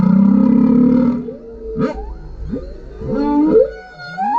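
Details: Underwater song of a male humpback whale recorded by GoPro below a kayak: a loud buzzy low moan, then a string of rising whoops and swooping cries, ending in a brief upward squeal.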